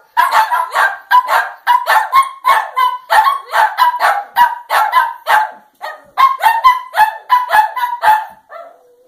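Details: Barking at the moon, the dogs Gizmo and Scamp keep up a steady string of high, clipped yaps for about nine seconds, a short pause midway, ending on a faint drawn-out whine.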